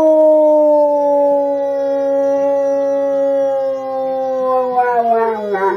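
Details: A female German Shepherd, set off by a small siren sound, gives a long, smooth howl that slowly sinks in pitch and wavers at the end.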